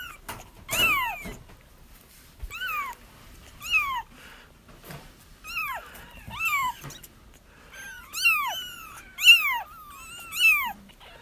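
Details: Several kittens crying together, sounds intended to draw a feral mother into a trap; overlapping high mews, many with a rise-and-fall shape, come in quick clusters over light rustling background noise.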